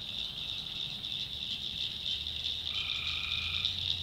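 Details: Night chorus of tree frogs in the North Carolina backwoods swamp: a constant shrill high drone, then one steady mid-pitched trilled call that starts partway through and runs to the end.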